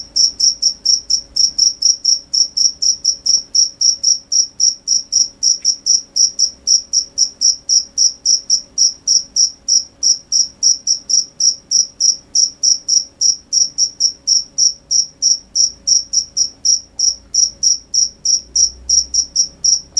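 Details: A cricket chirps nonstop at night, bright high pulses repeating rapidly and evenly, around four each second, through the whole stretch against faint low background hum.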